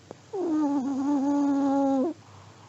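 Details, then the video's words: Old Pomeranian snoring in its sleep, one sustained whistling nasal tone lasting nearly two seconds, steady and evenly pitched with a rich harmonic ring, starting and stopping abruptly against a quiet indoor background. "(sleeping dog snoring) 睡眠用おじじポメのイビキ"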